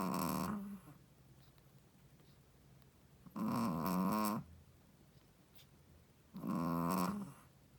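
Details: Shih Tzu mommy dog, a first-time mother, snores in her sleep: three harsh, rattling snores about a second long, spaced some three seconds apart, quiet breathing in between.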